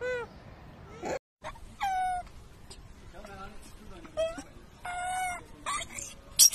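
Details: Wild baby macaque crying loudly after being bullied by its mother; drawn-out harmonic wails arch up and down, separated by short gaps, with scratchy noisy bursts between cries and one brief silent break.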